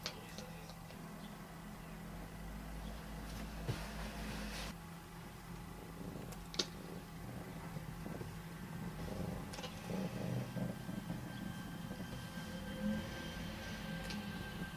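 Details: A domestic cat making weird sounds: a low, continuous rumbling purr runs through the whole stretch, broken by a few sharp clicks, over a faint steady electrical hum.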